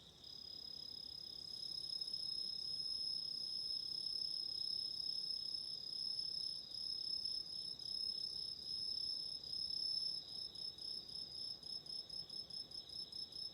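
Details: High, shrill chorus of autumn insects at night, meant for relaxing by a candle: continuous layered trilling, growing louder, then breaking into rapid rhythmic pulses toward the end.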